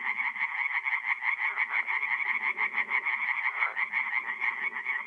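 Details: Night chorus of tree frogs at a forest pond in North-East Italy in mid-April, fast throbbing croaks layered thickly, with softer lower croaking from other frogs underneath.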